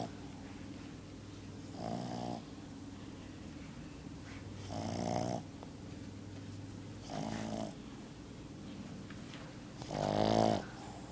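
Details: Sleeping pet dog snoring indoors: four harsh, rasping snores, each about half a second long, spaced roughly every two to three seconds over a steady low hum, with the last snore the loudest.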